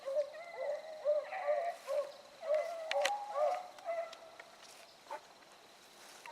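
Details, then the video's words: Hounds running a rabbit at Salt Lake WMA on the morning of 2 February 2018. Overlapping bays ring out several times a second, then fade toward the end, with a steady background whine and a sharp tap. "RUNNING RABBIT DOGS"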